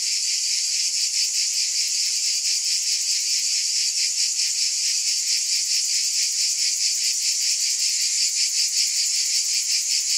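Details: Cicadas keep up an intense, sizzling high buzz with a fine rapid flutter, never dropping out, forming a seamless wall of insect sound.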